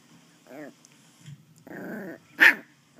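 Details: Playing West Highland White Terrier puppy producing a short growl, a longer rumbling growl, then one sharp loud yap, with quiet gaps between.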